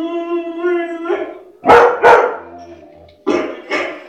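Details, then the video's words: White shepherd dog: a held harmonic howl opens, then two quick sharp barks, a brief whine, and a closing pair of barks. "white shepherd barking - Witte Herder / Mechelse herder blaffen"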